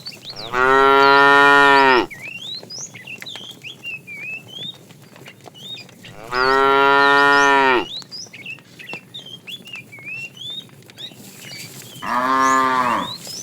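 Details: Cow mooing while a tame herd is driven in the afternoon: three long, loud harmonic moos, about 1.5 seconds each, roughly every five seconds, with a shorter third one, over steady chirping birdsong in the background.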